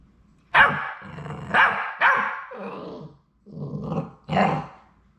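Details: On their last day at High Desert Labradors before leaving for new families, the final three Labrador Retriever puppies give a few rough, growly barks, each ending in a drawn-out grumble, with short quiet pauses between.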